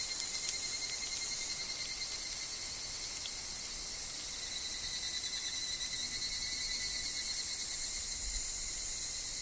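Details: In a woodland of wind and falling leaves, higurashi evening cicadas give a rapid, pulsed high call that grows in the second half, layered over continuous shrill insect droning.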